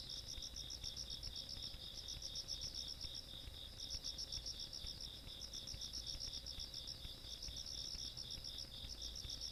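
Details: Night insects in the countryside on 17 August 2022 keep up dense, fast, high-pitched pulsed chirping with brief gaps, layered over a constant lower ringing trill and a soft low background hum.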